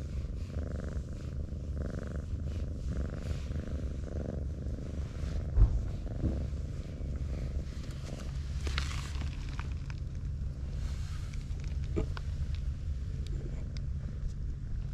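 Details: Tabby cat being stroked, curling its body into a ball like an armadillo; a steady, low, rumbling purr continues throughout with faint rhythmic pulsing, plus a few soft rustles and clicks.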